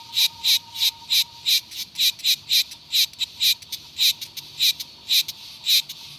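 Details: Cicadas produce a rapid train of sharp, buzzy pulses, about three per second, loud and even. A thin, steady, lower whine runs beneath the first part.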